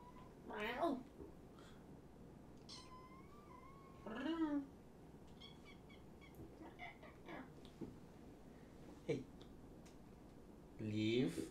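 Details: Shelter kittens from two litters surrendered in Tacoma, visited late at night indoors for socialisation. Three loud wavering meows come several seconds apart, with quieter chirps and a person talking softly between them.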